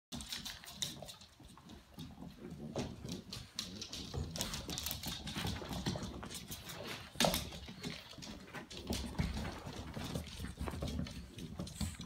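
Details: A French Bulldog mother grunts, snorts and whines in short, rough bursts while playing indoors with her 6-week-old puppies.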